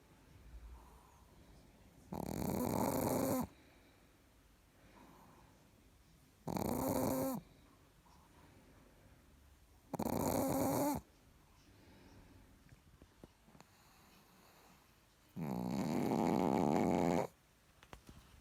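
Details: Richard the Chihuahua, fast asleep, gives four rasping snores spaced roughly four seconds apart, the last longest and fullest, each with a soft whistled undertone and near silence between breaths.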